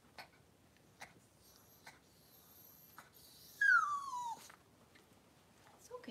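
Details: Cavalier King Charles Spaniel indoors during a whelping of six puppies in two hours: one loud, high whine sliding steadily downward for about a second, with faint soft clicks and rustling around it and a brief squeak at the close.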